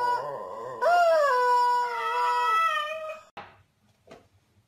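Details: A dog howl: one long, steady, tonal wail that bends slightly and then holds, trailing off into a couple of faint short sounds at the end.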